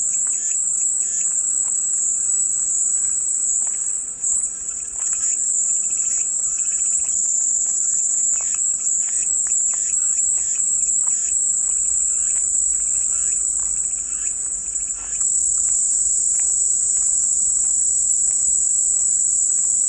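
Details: Continuous shrill cicada chorus, offered as soothing white noise, a level high buzz without pauses, with soft intermittent bird chirps in the background.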